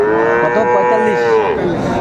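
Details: A single sustained, level moo lasting two seconds, full and harmonic, from a Friesian or cross-breed bull calf of about three to four months at Raniganj market in Dinajpur, on 2 May.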